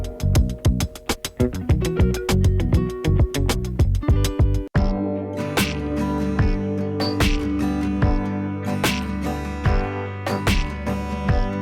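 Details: Plucked then strummed guitar music fills the recording, with no animal voice present.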